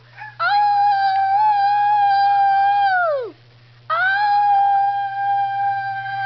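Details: Two long howls from Piper the Schnauzer, the first held steady for about three seconds before sliding sharply downward, the second rising and holding; a continuous low hum sits beneath.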